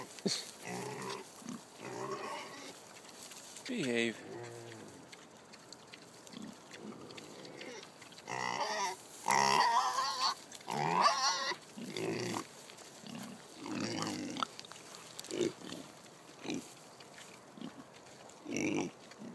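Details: Kunekune pigs on a farm receiving pumpkin, the sow Jenny excited and noisy. A long run of irregular grunts and short squeals, roughly every second, with some faint voices mixed in.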